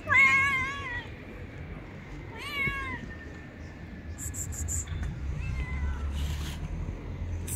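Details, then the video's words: Stray street cat, described as the loudest and cheekiest, calls with two short wavering meows followed by a fainter third, over low background rumble and some sharp clicks. "This Is the Loudest, Cutest, Cheekiest Cat I've Ever Met on the Street"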